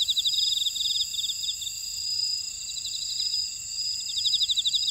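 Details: Grass insects chirring in a Jeju buckwheat field, South Korea: quick pulsed trills open the recording, fade to a steady shrill hum, then return loudly near the end.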